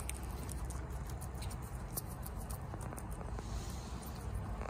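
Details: A female guinea pig eats bok choy fast, with soft crunchy clicks and wet snips over a low steady rumble.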